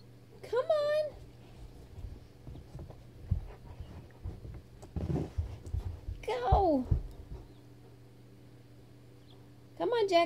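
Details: Trapped beneath a bed for 30 minutes, frustrated Weimaraner Jackson whines three times: a short high cry, a longer one sliding downward midway, and a brief final whimper, amid a person's coaxing speech and soft knocks in a small room.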